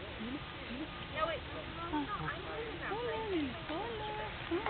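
Lar gibbons give clear, hooting notes that swoop up and down, overlapping one another.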